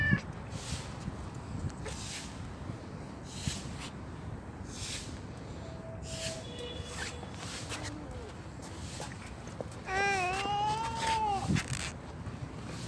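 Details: Black stray cat fed on a bench in a street yard lets out one drawn-out, wavering meow about ten seconds in, after a few faint thin tonal mews, over constant outdoor noise.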